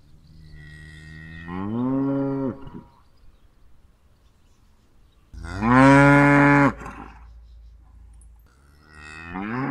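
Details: Cow calling with deep, harmonic moos: one rising then falling call, a loud intense bellow after a pause, and another moo starting at the end; quiet low rumble in between.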